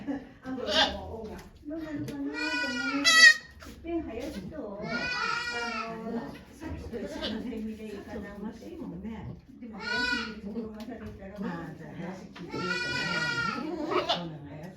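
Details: Goat named Okayu during the birth of two kids at Yoshigake Farm, Japan, 3 May 2023, with many volunteers present. Several quavering bleats rise above steady human chatter and murmured talk throughout.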